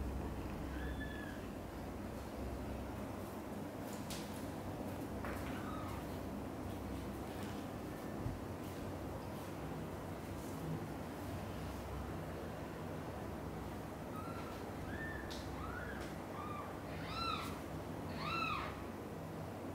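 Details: Mother cat Xaxa with kittens Miracle and Cream, carried from mother cat Chan's nest. A few early mews, then a quickening run of bright, harmonic-rich kitten cries near the end, with scattered clicks and handling noises and a low background drone.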